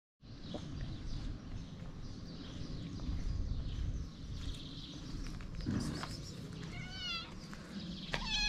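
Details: Female stray cat in Morocco, excited and impatient before mealtime, gives a few short, wavering, high meows near the end over a steady low rumble and outdoor noise.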